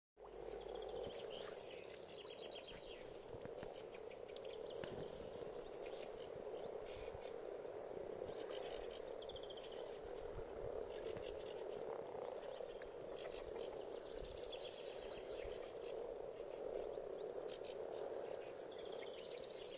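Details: Frogs gathered for spring spawning in a pond, their massed calls forming a steady, unbroken low purring drone throughout, with thin twittering birdsong above it.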